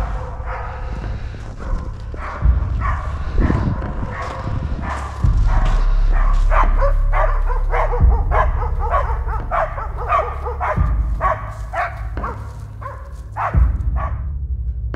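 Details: Laika hunting dogs on a driven moose hunt in Sverdlovsk Oblast, Russia, barking after being sent on the trail of a wounded moose. Rapid, repeated barks come in uneven bursts over a steady low rumble of wind and handling noise.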